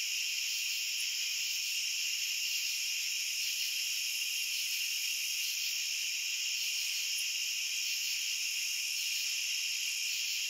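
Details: Unbroken wall of cricket chirping, a bright, hissing, high-pitched hum that holds level throughout, with faint flickers of individual chirps on top.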